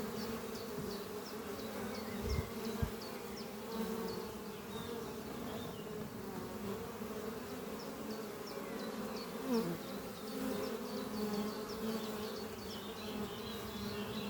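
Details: Many Western honey bees (Apis mellifera) flying at a thriving hive under trees on a spring morning, bringing in pollen, hum together in a steady, low drone, with faint high bird chirps behind.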